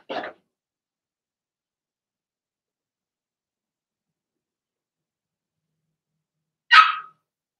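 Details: Blenheim Cavalier King Charles Spaniel puppies from Remy's first litter of six, in a home puppy pen: two short, sharp high-pitched yips about six seconds apart, with silence between and no other sounds.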